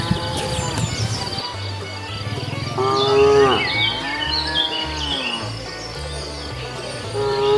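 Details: Cows wandering leisurely along a road looking for food: a long, drawn-out moo in the middle, bending down then up in pitch, with bird chirps overhead and a low steady background hum.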